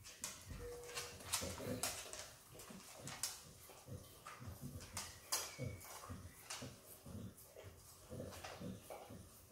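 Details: Izzy, the Australian Kelpie x Border Collie puppy, licks peanut butter with steady slurping clicks and chewing smacks, loudest near the start and continuing in a loose rhythm.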